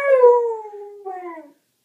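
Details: Rocky, a pet dog, howls along to the howling at the end of the iPad Today show: a clear, smooth howl gliding slowly down in pitch, a short break, then a softer second falling phrase.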